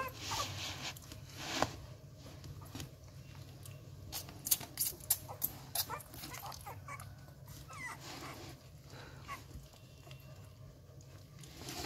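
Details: At a Rottweiler kennel, eleven-day-old puppies awaiting their feed lick and suck greedily at fingers, making bursts of sharp wet clicks and smacks, clustered mid-clip, with faint squeaks and steady background hum indoors.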